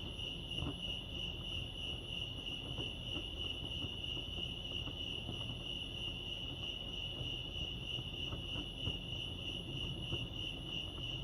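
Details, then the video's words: Crickets chirping at Lake Arrowhead, California: a steady high pulsing trill running without pause, with fast regular chirp beats, over a low background rumble. "Serenity sounds crickets chirping lake arrowhead"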